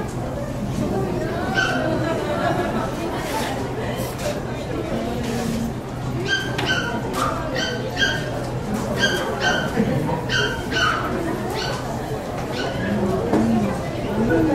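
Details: Indoor Saitama West Honey Poodle Club show, 9 June 2008, with poodles Hyuma and Magic, Magic distracted by the other dogs. Murmuring crowd at first, then a quick run of high, clipped barks in tight pairs through the middle stretch, voices continuing beneath.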